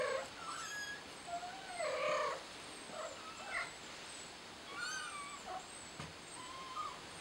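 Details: Scared kitten calls repeatedly for its mother with plaintive meows, one drawn out and bending, others short and broken, spaced irregularly over several seconds, while faint high twittering carries in the background.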